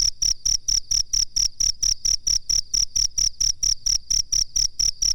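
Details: Master recording of a cricket for training birds: a high, pure, piercing chirp pulses evenly about four times a second with no other sounds.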